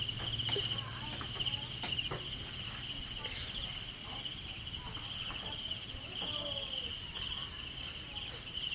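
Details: Crickets kept in a rearing cage give a steady, high, finely pulsed trill that runs unbroken through the whole stretch, while soft clicks, handling knocks and a few faint voices come and go underneath.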